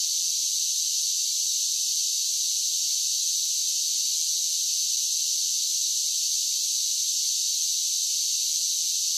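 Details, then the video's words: Cicadas singing in summer: a steady, dense, shrill high buzz that holds unbroken at an even loudness throughout, with no low sounds, no other animals and no voices. "Cicada Sounds"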